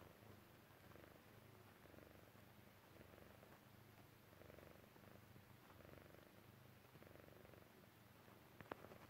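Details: Persian Chinchilla cat, relaxed and falling asleep, purring in a regular low rumble with clear in-and-out breathing rhythm, about one cycle every second or so, plus a brief click near the end.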